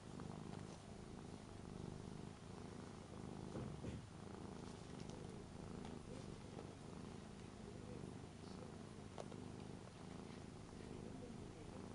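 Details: Rara, a three-year-old Ragdoll cat, lies indoors in front of a family member packing for a Hong Kong trip, lonely and seeking affection; a steady low rumbling purr runs throughout with faint voices, captured on a Panasonic LUMIX DMC-TZ7.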